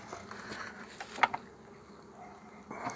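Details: Softer droning of honey bees around a frame holding a queen as a colony is formed, overlaid by a few sharp clicks and handling knocks, with a short louder swell at the end.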